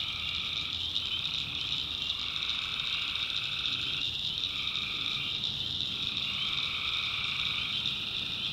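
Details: Night chorus of tree frogs in North Carolina backwoods, recorded in the wild: rising and falling bursts of frog calls every second or two, layered over a constant high-pitched insect drone.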